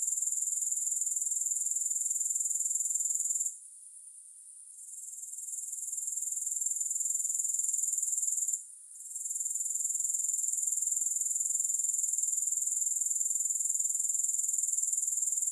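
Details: Grasshoppers recorded for sleep and relaxation, without music: a bright, high, rapidly pulsing buzz that drops out twice, first for about a second and then briefly, each time fading back in.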